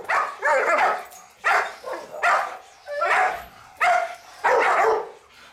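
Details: Guard dog kept for family protection giving a series of deep, rough barks, six separate bursts spaced roughly every second, strong and close, with a quiet background between them.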